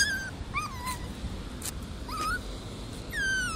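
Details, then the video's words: Frightened puppies on their first walk outdoors give thin, whistled squeaks that bend up and then fall. About four squeaks are spread over a few seconds against steady outdoor background noise. "первый раз гуляем и пищим на улице"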